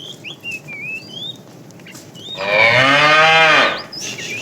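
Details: Afternoon herding of tame cows: after a stretch of bird chirps, a fat cow lets out one strong, roughly one-second moo, calling the female, then birds resume.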